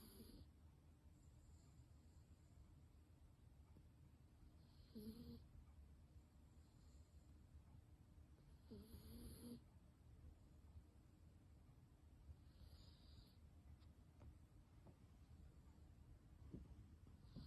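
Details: Black Toy Poodle named Peace, sleeping soundly at home, snoring softly: faint, low breathy rumbles with brief nasal squeaks roughly every four seconds against a quiet room hiss.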